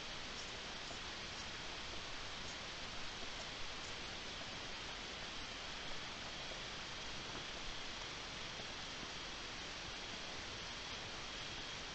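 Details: Steady broadband hiss like rain or rushing water, with no animal voice. Only faint rustles rise above the even wash of noise.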